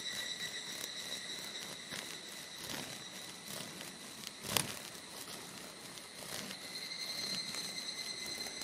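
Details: Male evening cicadas (higurashi) sing near one of their kind trapped in a montane orb-web spider's web on an old mountain trail in Japan, sunny midafternoon around 14:00, mid-July 2022. Steady high whining tones carry throughout, with one sharp crackle midway.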